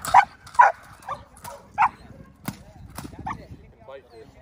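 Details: Indi, a six-month-old female Belgian Malinois, barking during bite work warm-up: a run of sharp, harmonic barks about twice a second, loud at first and fading after the first two seconds, over low rumbling background noise.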